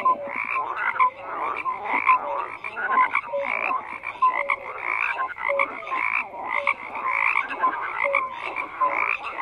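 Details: A frog chorus of continuous overlapping croaks: rapid pulsed rattles with brief tonal pips, rising and falling in loudness every second or two, steady throughout with no wind or voices.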